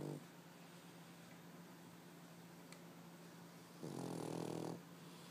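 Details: A sleeping white Pekingese, three years old and male, lets out one long, harsh, buzzing snore near the end after quiet breathing, with a steady low hum in the room.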